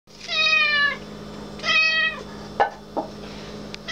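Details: Female black cat meowing: two clear, drawn-out meows, each slightly falling in pitch and lasting under a second, followed by a couple of short clicks or taps in a quiet room.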